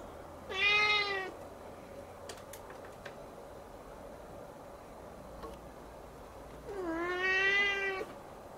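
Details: A Siamese kitten gazing at the ceiling cries twice, a clear nasal meow near the start and another rising then falling one about six seconds later, with faint clicks and room hum between.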